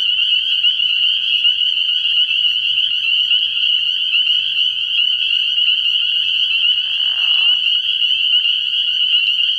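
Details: Night chorus of spring peepers at a pond early in the year: countless high, sharp peeps overlapping into a steady ringing drone, with a short lower buzzy burst near the end.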